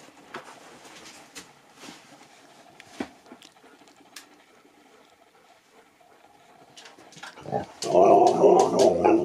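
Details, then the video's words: Nook, a pet Husky, vocalises at Easter while toying with his Easter egg before eating it. After several quiet seconds of faint rustling, a loud, harmonic, wavering howl-like 'talking' sound bursts out near the end. "Husky TALKS to ~ IGNORES then PLAYS with his EASTER EGG before eating it"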